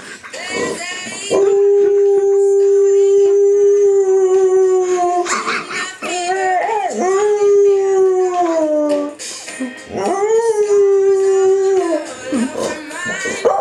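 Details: Rollo, a Spanish Water Dog, howling along as Adele's Rolling in the Deep plays, something he does every time he hears it; long sustained steady howls that dip and waver at the ends, with the music beneath and laughter.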